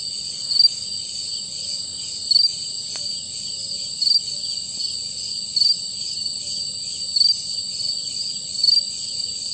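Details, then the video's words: Male cricket filmed singing in the dark to attract mates, one voice within a chorus: a steady high-pitched ringing trill, sustained without pause, with short brighter chirp bursts about every one and a half seconds. "Cricket sound - Contribution of one cricket in the chorus!"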